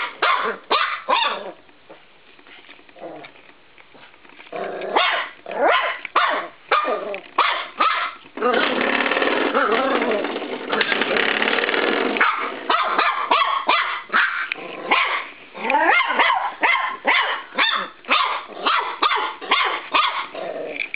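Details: Playful attack on a bedroom spring door stop by Cisco, a 13-week-old Norfolk Terrier puppy: quick strings of sharp yaps and growly barks, pausing for several seconds of buzzing spring vibration before the barking resumes.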